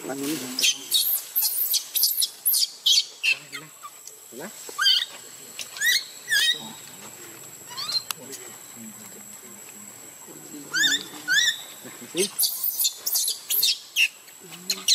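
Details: Young monkey Luno cries in the water as his mother leaves him: clusters of piercing, high, rapidly rising and falling screeches, with a quieter stretch midway before the shrieks resume in dense runs.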